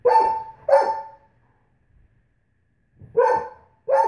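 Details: Female Great Pyrenees complaining about nail polish: two resonant, harmonic barks with a slight downward slide, a quiet gap of nearly two seconds, then two more loud barks.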